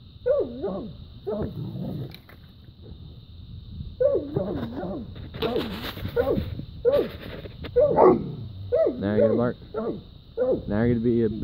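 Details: Dogs barking after fighting a raccoon and chasing it up a tree outdoors; bursts of harmonic barks in clusters, some doubled, with rising yelps near the end and a man talking over them.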